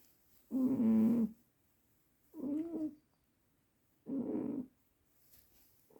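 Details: Cat named Juniper asleep, giving three snoring breaths, the first loud and buzzy, the next two softer and rougher, separated by silent pauses.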